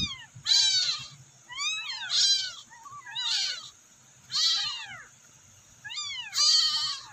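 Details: Rescued abandoned kittens give high, thin meows in repeated bursts, calling for their mother.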